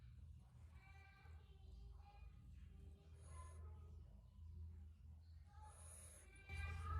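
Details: Bullfrog screaming: a series of short, nasal, harmonic wailing cries, some rising, repeated several times over the clip against a steady low hum, with a louder thump near the end.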